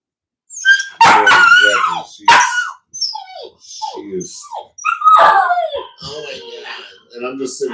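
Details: Cane Corso (Italian Mastiff) from a breeding pack near Nashville, Tennessee, giving loud, squealing yips and short whines in several bursts, mixed with people's voices indoors.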